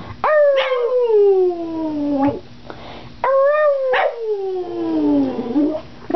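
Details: Boston Terrier howling when asked to sing: two long descending howls, each opening with a sharp rise then sliding slowly lower, with a quieter wavering pause between them.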